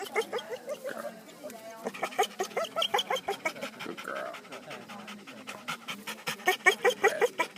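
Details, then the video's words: Pet dog Saydee going crazy with excitement at a party, eager to say hi to the guests: quick panting breaths broken by high whimpers and squeaky whines, rising and falling, over background chatter of people. "Saydee making silly noises"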